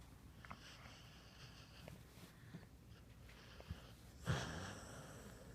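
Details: Pet dog Bandit asleep, giving light wheezy breaths and small clicks, then a louder snorting inhale near four seconds that trails off into a breathy hiss, all over a low indoor hum.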